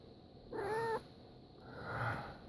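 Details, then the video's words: Indoor house cat objecting to sneezes gives a short, steady meow, then a quieter, drawn-out second call, with a constant background hiss. "My Cat Hates Sneezes!"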